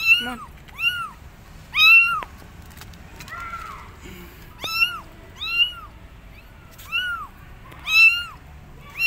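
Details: Abandoned kittens perched on a gate meow loudly, calling for their mother cat; a run of about ten high, arching, harmonic-rich meows, each rising then falling, repeating roughly every second with brief quiet gaps between.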